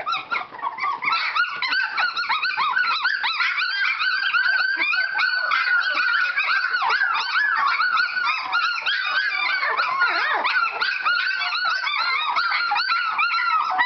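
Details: Several Standard Poodle puppies exercising in their whelping box, producing a dense, unbroken tangle of shrill whines, yips and wavering cries that overlap throughout.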